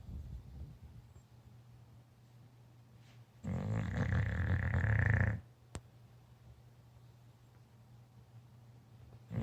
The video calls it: English Bulldog snoring!